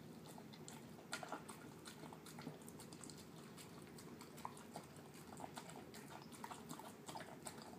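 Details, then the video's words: Terrier mix pet dog, male, eating his dinner of canned food mixed with kibble; steady wet, mushy smacks and chewing clicks come several times a second over a low steady hum. "Dog eating yummy food"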